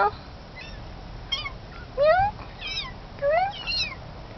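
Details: A kitten recorded in August 2011 gives short, rising, thin mews, two clearer upward-sliding calls about a second apart, with quieter chirps and a voice in the background.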